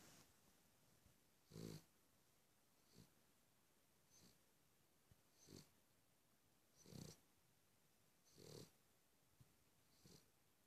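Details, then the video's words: Cavalier King Charles Spaniel snores, snores, snores: short, rough, nasal snorts of varying strength repeating roughly every one to one and a half seconds, with louder deep rattles now and then, otherwise quiet. "Cavalier King Charles Spaniel - snores, snores, snores"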